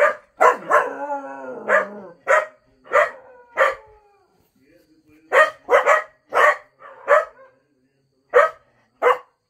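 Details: Cocker Spaniels Mickey and Minnie indoors: a drawn-out wavering, falling howl-like whine near the start, then a run of sharp barks in quick irregular bursts, with a human voice briefly mixed in.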